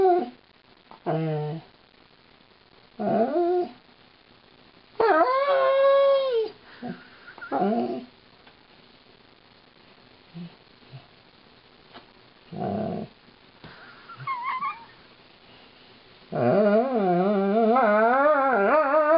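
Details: While being brushed, Lightning, a female Alaskan Malamute, answers with a string of short yowls and moans separated by pauses, ending in a long, wavering, rising howl; faint background sounds between calls.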